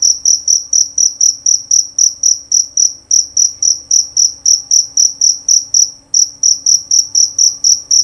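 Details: Jerabang cricket, a male kept for its loud, clean song. A long, steady train of shrill, high chirps, about four each second, has one brief break near the end. The background is quiet.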